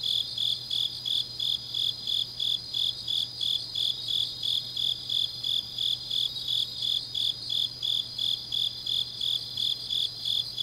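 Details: Grass insects singing on a deep autumn night in Changnyeong, Gyeongnam, South Korea: a high, steady chirping pulsed about three times a second over a fainter continuous shimmer of other insects, with a low hum underneath.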